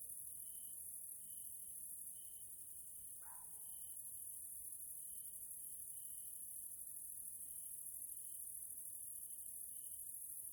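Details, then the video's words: Hungarian nature area at evening, grasshoppers sounding: a high continuous shimmering chorus with short tonal pulses repeating regularly, and one brief lower sharp note partway through. "grasshoppers sounds in nature area Hungary Central Europe"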